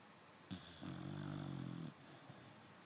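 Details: Dog snoring in its sleep: a single drawn-out, steady, droning snore of about a second, low and buzzy, preceded by a brief click, in a quiet room.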